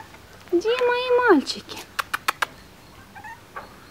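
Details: Several male Chihuahua puppies at a kennel, spoken to fondly by a person; one gives a thin, high whine that rises, holds, then drops, with a softer squeak later.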